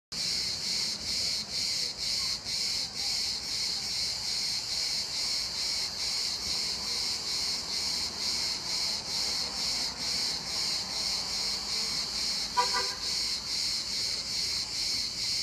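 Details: Cicada calling in İzmir, a steady high buzzing chorus pulsing about twice a second for the whole stretch, with a brief sharp tapping sound near the end.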